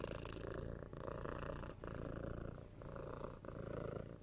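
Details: Young kitten of six months purring as it is cuddled and given head scratches, recorded binaurally indoors; continuous deep throbbing purr in breath-length waves about a second long, with light rustling from petting.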